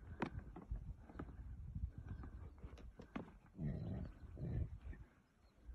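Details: Wild yaks, possibly large bulls, fight on open grassland, giving deep, rumbling grunts with thuds and scuffling between the calls.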